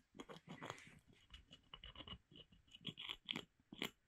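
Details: Pet squirrel Molly chewing a wooden board while a woman's voice urges her to gnaw; rapid crisp crunching and scraping bites, sharper and brighter toward the end, irregularly spaced.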